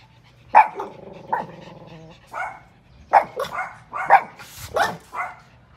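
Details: Chihuahua in a compilation of angry, happy and crying dogs: a yapping bark opens, then a sustained nasal whine with stacked overtones, followed by a quick burst of short, high barks.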